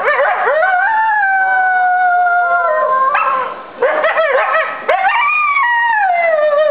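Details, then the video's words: Captive coyotes at the Virginia Living Museum, responding to a siren from a neighbouring fire station, howl in long, wavering, sliding tones broken by sharp yips and quavers. "Virginia Living Museum Coyote Howling"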